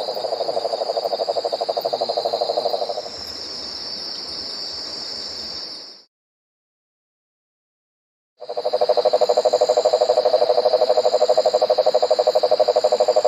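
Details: An Australian cane toad (Rhinella marina) gives a long, low, steady trill, like a purring engine, over high insect hum.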